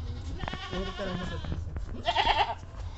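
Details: Deshi goat at a home where a doe has just given birth to three kids; a wavering, harmonic bleat rising and falling over about a second, then a brief louder burst, with low hum and faint music beneath.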